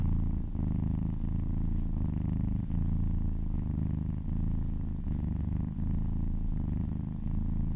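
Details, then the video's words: Massaged kitten purring close to the microphone in an ASMR recording: a deep, even rumble pulsing with each breath, about every 0.7 seconds, steady and loud with nothing else audible. "Purring kittens"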